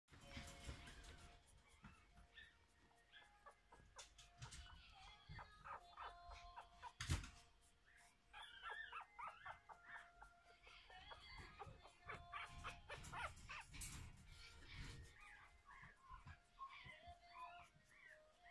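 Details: Biewer terrier puppies from a first litter, one female and one male, give thin, high, wavering squeaks and whimpers in quick irregular bursts throughout, over a steady low electrical hum and faint rustling.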